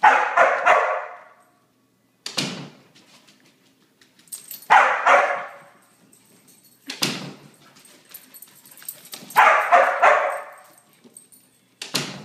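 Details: Pent-up Border Collie after three straight days of rain, letting out repeated loud barks, some in quick pairs and triplets, spaced by short silences, with tapping and clicking noises in between, indoors.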